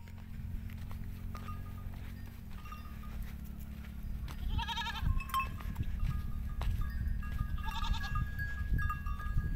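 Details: Goats from a herd of thousands resting on sandy dunes in a forest at sunset give two quavering, wavering bleats a few seconds apart, over a steady low rumble and scattered bell-like ringing tones.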